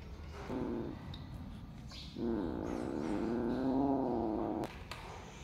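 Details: Cat calling while cats compete to eat mice: a short meow, a pause, then a long wavering yowl lasting about two seconds that stops abruptly, followed by faint clicks.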